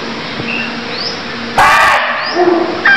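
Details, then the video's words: A deer in Cambodia gives one sudden, harsh cry lasting about half a second, followed by a brief second burst. Soft rising chirps and steady background hiss surround it. "Cambodia Sound Deer Calls || សម្លេងសត្វឈ្លូសស្រែក"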